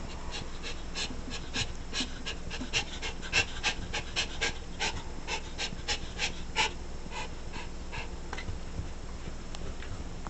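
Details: A Schipperke dog pants in quick, breathy bursts, several each second, over a low steady hum, while pattycaking for a dog toy.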